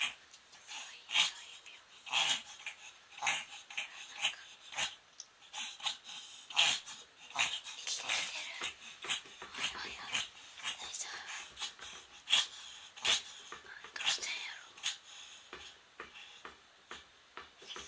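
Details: Pomeranian named Moko reverse sneezing for the first time, a fast series of rough, hissing snorts pulled in through the nose, closely spaced and uneven, with quiet human talk underneath.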